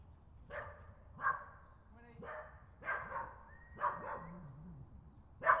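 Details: A dog barking at a photographer seated on a log in UK woodland while photographing nesting birds; spaced, fairly quiet barks about once a second, with faint bird notes in the background.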